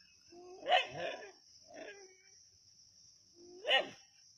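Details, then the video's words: Native dogs at Keezhadi bark while hunting a snake: a harsh double bark, a softer short bark, then another loud bark. A persistent high insect buzz fills the background. "கீழடியில் நாட்டுநாய்களின் பாம்பு வேட்டை"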